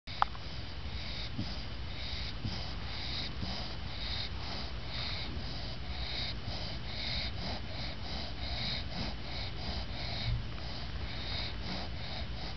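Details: Lucy, a female English bulldog worn out after her bath, snoring with her eyes open; steady rasping, wheezy breaths blend into a continuous hiss with faint regular pulses, one sharp click near the start.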